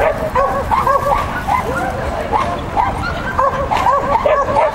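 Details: At a 'Child and Dog' contest on 31 May 2015, the sheltie Lesya barks in quick excited bursts, sharp arched yaps in irregular clusters over steady background crowd noise.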